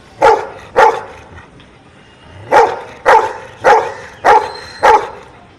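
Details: Trick dog giving arithmetic answers by barking: two quick barks, a pause of over a second, then five more steady barks, loud and clipped, in a quiet room.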